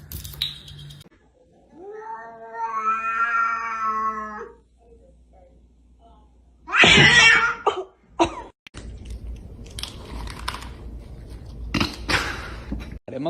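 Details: Domestic cat giving a single drawn-out, slightly wavering meow of about a second and a half, followed by sharp knocks, bursts of noise and snatches of music.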